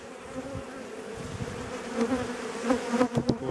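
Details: Aggressive honey bees in April during a colony inspection, hive on eight frames with self-requeening in progress: steady low droning hum with a faint overtone, swelling as bees pass close to the microphone in short rising surges.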